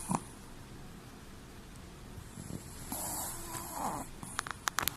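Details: Chihuahua asleep with whitened, rolled-back eyes, letting out one soft, hoarse snore about a second long amid quiet breathing, followed by a few faint clicks and rustles.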